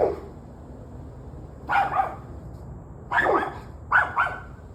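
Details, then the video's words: A dog barks in short, sharp bursts, a single bark followed by two quick doubled ones; it has been barking on and off for about an hour and a half, Tuesday, November 21, 2023, 7:06 pm. "26 Minutes of Barking Dogs"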